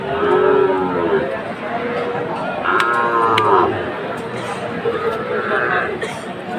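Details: Sahiwal cattle among bull calves on sale to farmers in Jessore on 29 October: short harmonic moos, one near the start and a longer one midway, half buried under steady crowd chatter and market noise.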